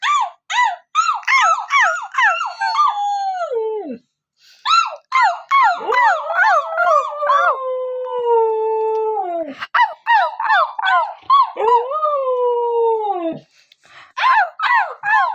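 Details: Siberian Husky giving bursts of short, rapid yipping notes that slide into long, drawn-out howls falling steadily in pitch, then returning to quick yips and another sinking howl.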